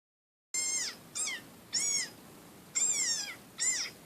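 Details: Desert rain frog recording played back indoors to a chocolate Labrador puppy: five sharp, high-pitched squeaks, each slightly falling, in quick uneven succession over about three seconds.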